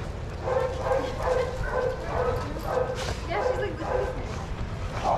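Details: Dogs playing together in a shelter yard in Arizona, watched by handlers; a steady run of short barks about twice a second, with people talking over a busy yard background.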